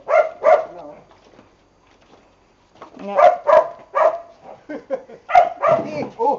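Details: Training Boxers Bonbon and Melchor: a couple of barks, a brief quiet gap, then a quick irregular series of harsh barks, with a person's voice mixed in.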